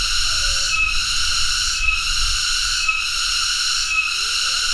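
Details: Intense hissing drone of a cicada (tonggeret, Cicadidae), high and unbroken apart from brief regular drops about once a second, over a light low rumble.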